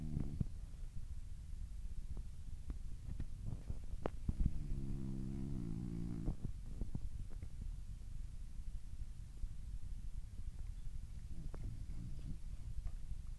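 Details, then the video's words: A sleeping, dreaming French Bulldog gives one drawn-out, harmonic snore midway through, with soft clicks and a low indoor rumble around it. "Französische Bulldogge schläft und Träumt"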